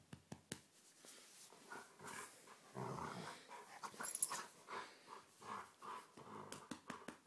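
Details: Rough-housing pet dog indoors gives a run of throaty, rhythmic growls roughly twice a second, each swelling and fading, with panting and scuffling clicks at the start and end.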